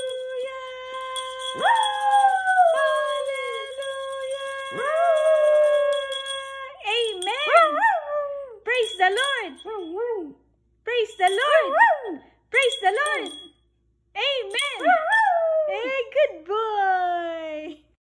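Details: A Havanese sings along to "Hallelujah", howling in wavering, rising and falling notes that join long, steady musical tones.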